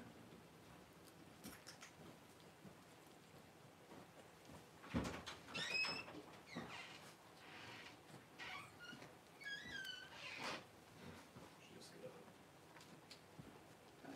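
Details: Newborn Cavalier King Charles Spaniel puppies as Paris whelps her first two pups on January 1: thin, high squeaks rising and falling in short bursts. Rustling and handling noises sit underneath.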